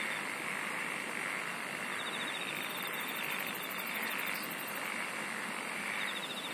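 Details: Singing insects form an unbroken chorus, a shrill hum swelling and fading roughly every second or two, with a fast, very high ticking trill across the middle and a softer pulsed buzz beneath, over steady hiss.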